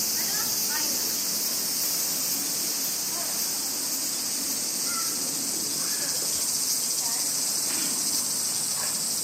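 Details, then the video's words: Summer crickets in Japan form a continuous, shrill, high trilling wash. Scattered soft, lower chirps and faint voices sound beneath the insect chorus. "Sounds of Crickets and Winds"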